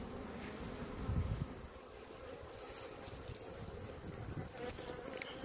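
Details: Honey bees at a hive in Maine-et-Loire, France, licking a droplet; a steady low hum of many bees with a brief louder rumble near one second and some wind noise.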